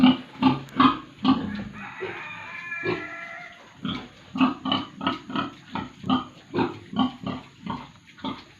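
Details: Pigs and piglets at a farm in Tripura grunt steadily, with short rhythmic oinks repeating about twice a second and a brief squealing stretch partway through.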